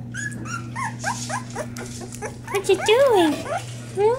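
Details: Hungry Springer Spaniel puppies from a first litter crying: a run of high, thin whimpers and squeals, short arching notes that rise then fall, several overlapping, with a person talking softly and a steady low hum underneath.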